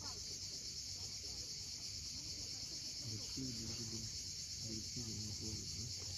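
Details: Cicadas calling at sunset on the steep coast of Crimea's Cape Fiolent keep up a flat, continuous shrill drone, with low murmuring sounds coming in short clustered bursts in the second half.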